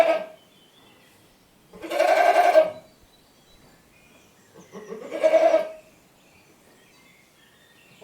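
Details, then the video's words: Goat bleating twice, each a drawn-out, wavering, nasal bleat lasting about a second, the second following roughly three seconds after the first, against a quiet background. "Goat Copyright Free Sound Effect FX"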